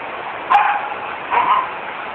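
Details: Two little black puppies playing outside a shop; two short, sharp yelping cries about three-quarters of a second apart, each quickly fading, over a steady background hiss.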